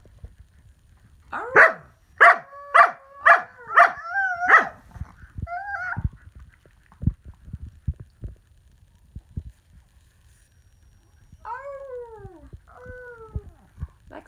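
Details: Samoyeds Lexi and her sister Nika howling together; a burst of about six short, bright, yelping howl notes in quick succession, later a longer wavering howl that dips and rises, with scattered clicks and faint thumps between.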